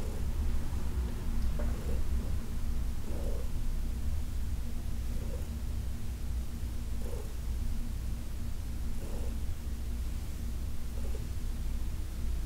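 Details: Soft, low purring from Heidi, a senior cat adopted from the Humane Society of New York City, during a massage on August 4, 2021; quieter rumble with light breathy pulses about every two seconds.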